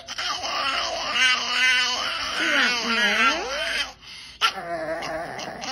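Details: Pet dog asking for treats with a bizarre screech: wavering, vibrato-laden harmonic wails that slide up and down, dipping low and rising again over several seconds, then a brief pause and a softer warbling cry indoors.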